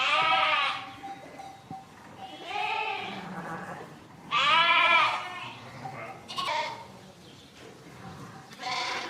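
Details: A flock of domestic sheep baaing: wavering, harmonic-rich bleats come one after another every couple of seconds, some long and loud, others shorter and quieter, with no other clear sounds.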